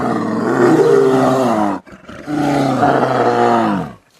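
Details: Brown Bear. Two drawn-out roars from a brown bear, each lasting under two seconds with a brief pause between. The voice is deep, rough and richly harmonic, dipping a little toward the end of each bellow.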